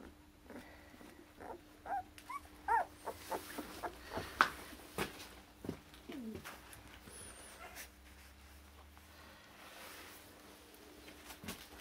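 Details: Akita puppies born 16 November in Hungary, from a Japan-born Akita parent named Kotono Go, whimpering indoors: scattered short, high, wavering whines and squeaks, some rising and falling, with soft knocks and handling noise between them.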